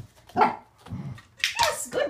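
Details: A male Corgi named Waffle barks during a clicker training and conditioning session: two or three loud, abrupt barks in quick succession, echoing slightly in a small indoor room.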